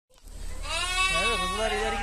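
A lamb gives a drawn-out, quavering bleat with a wavering, nasal tone.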